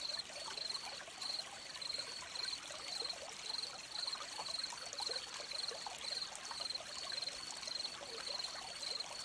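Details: Crickets by a stream: steady pulsed chirps repeated about twice a second in an even rhythm over a continuous trickling of flowing water.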